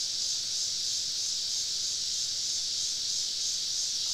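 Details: A summer evening chorus of many cicadas deep in southern woods, heard while camping: a steady, hissing, high-pitched drone without clear pulses or breaks.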